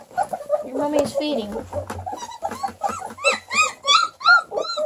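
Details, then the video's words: Hungry Redbone Coonhound puppies indoors, yelping and whining in a rapid overlapping chorus of high, arched squeals that grow louder and more regular toward the end, with several pups calling at once. "HUNGRY REDBONE COONHOUND PUPPIES"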